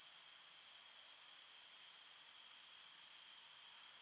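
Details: Nighttime cricket chorus in a forest, a constant high, hissing trill layered in two close pitches, with no pauses and no birds, voices or wind.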